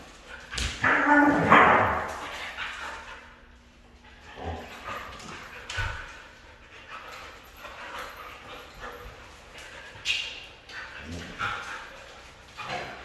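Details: Red female Siberian Husky giving a loud, rough vocal burst followed by a series of softer whimpers and yips spread across several seconds, with faint speech-like sounds in the background.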